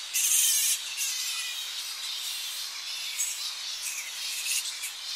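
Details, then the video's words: Tonga flying fox colony returning to coastal roosting trees in early morning, recorded close up: a dense wash of shrill, high squeaks and chatter, loudest in the first second, then a steady overlapping din with no other clear sounds. "Tonga Flying Fox / Colony. Early Morning As Bats Return To Roosting Trees On Coast. CU Shrill Calls"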